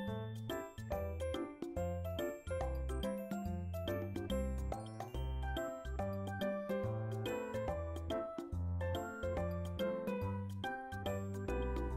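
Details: Bright, tinkling children's-style music with chiming bell tones over a steady pulsing bass line; no animal voices.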